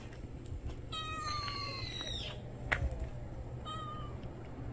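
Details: Stray cat meowing: one long meow that starts level and bends sharply downward at the end, then a short, softer meow after a pause. A low constant hum sits underneath, with a brief knock in between.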